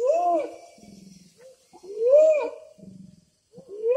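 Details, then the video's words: Wild orangutan, per a local guide calling to get a female's attention; a clear tonal hoot rises then falls, followed by a low rattling grumble, the pattern repeating about every two seconds. "The voice of orang utan"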